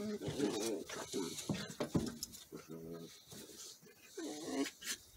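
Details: Border Collie puppies play fighting, pouncing, stalking and going for each other's face; rough, throaty growls and short whiny snarls in quick, overlapping bursts, with scuffling between them.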